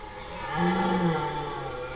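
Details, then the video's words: A single red deer stag's roar during the rut, recorded in forest 10–15 September 2018: a two-second, low, harmonically rich groan that swells and then fades. "Ryyykowisko 2018 / Deer rut 2018"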